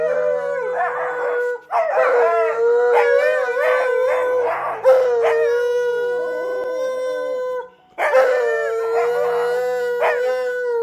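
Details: A female rescue Siberian Husky, confused on hearing her owner's voice in a video, howls in long, wavering, mid-pitched tones that rise and fall, with brief pauses between.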